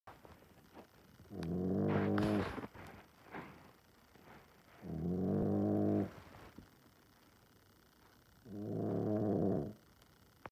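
A Boston Terrier sings in low, drawn-out, wavering howls, each over a second long, repeated about every three seconds.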